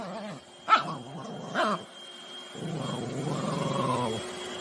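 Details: Poodle puppy angry at a vacuum cleaner: two quick yappy barks, then a low rumbling growl lasting over a second, with a constant high appliance whine.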